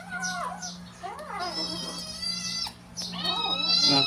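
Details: Domestic cat excited by treats, giving drawn-out, wavering meows and caterwaul-like wails with rich harmonics, one held for over a second, over a steady low hum.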